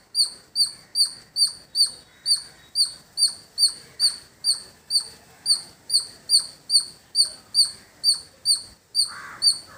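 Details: Squirrel calling in village surroundings: sharp, high, piercing chirps repeated steadily about two and a half times per second, each a short downward-slurred note, with faint lower background rustle and a brief louder noise near the end.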